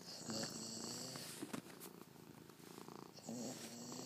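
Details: Female Labrador Retriever named Casper, indoors, trying to imitate a cat purring: low, throaty harmonic rumbles in two drawn-out bouts with a pulsing, grumbling texture and a short break between them, plus faint handling noise.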